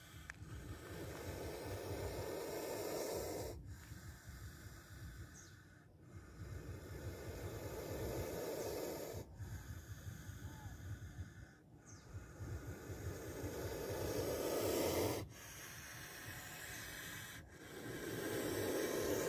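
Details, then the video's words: A spectacled cobra, caught on camera close to a person it struck at, gives repeated drawn-out airy hisses. Each builds in strength over a few seconds before stopping abruptly, over steady low noise. "Spectacled Cobra Snake Sound and Bite on Camera"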